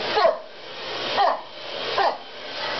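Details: A Wire Fox Terrier, heard barking for the first time, one morning while a vacuum cleaner ran, gives short, sharp, not high-pitched barks about once a second over the vacuum's steady roar; he dislikes the vacuum cleaner.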